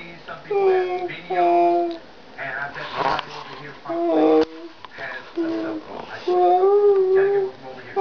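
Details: Cobbler, a dog that loves to talk, chatting with Zak indoors: drawn-out tonal howling notes, each held about a second, steady or gently bending, separated by short pauses, in a small room.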